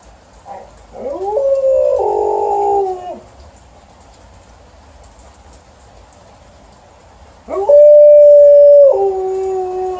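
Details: Alaskan Malamute howling in complaint about the rain, a rising whine into a long steady howl that falls off, then after a pause a second loud, level, pure-toned howl stepping lower at the end.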